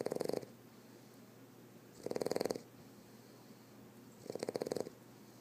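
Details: A male Boston Terrier snores with his eyes open, a buzzy, fluttering rattle in half-second bursts roughly every two seconds, with a quiet hum between them.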